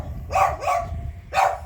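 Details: Pet dog barking at home in Thailand while its owner tells it not to bark: three short, sharp, mid-pitched barks, two close together and then one after a pause, with the owner speaking Thai.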